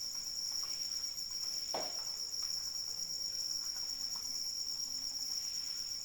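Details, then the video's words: Crickets calling in the rain, heard as a steady, shimmering high trill in several stacked bands, unbroken throughout, with soft rain patter and a brief splash of sound near the two-second mark. "Suara Hujan dan Jangkrik Pengantar Tidur"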